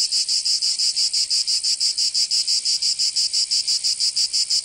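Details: Cicadas in a southern French summer, Provence: a piercing metallic buzz pulsing in an even, rapid beat, roughly five pulses each second, sustained without pause.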